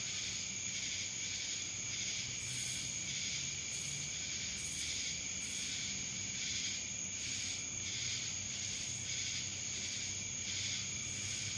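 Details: Shrill, unbroken cicada drone from Dallas, Georgia, pulsing in regular waves roughly every half second, with a faint low background hum.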